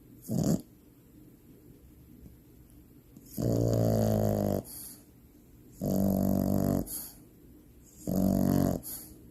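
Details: Finn, a French bulldog puppy, snores loudly in deep sleep indoors; a short snort opens, then three long, deep, rattling snores, each about a second, come every two to two and a half seconds with quiet breaths between.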